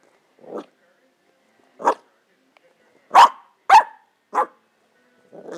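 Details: Foxie and other 14-week-old Pembroke Welsh Corgi puppies barking for a Kong Wubba toy hidden under the couch; six sharp, separate barks about a second apart, growing louder midway, indoors and otherwise quiet.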